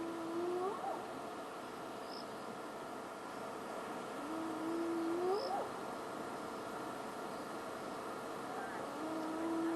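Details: A distant spotted hyena calling at night at Djuma in the African bush gives long rising whoops, each swooping upward and repeated every few seconds.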